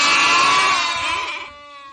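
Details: Goat giving a loud, drawn-out, wavering bleat that fades after about a second and a half, leaving a softer tonal tail, with music in the background.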